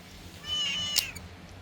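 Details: Domestic cat meowing during an ear cleaning session: one short, high, clear meow of under a second, with a brief sharp click near its end, over a quiet room hiss.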